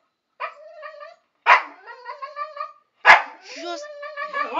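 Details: Pet dogs Chester and Laika, indoors, protest at being told off a terrace they are not allowed on. Three sharp bark onsets each slide into drawn-out, whining, talk-like yowls, one after another, with a person's voice nearby.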